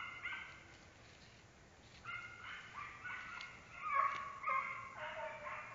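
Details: American Foxhound bays, several drawn harmonic notes, some sliding downward, growing louder toward the end over a hissy background.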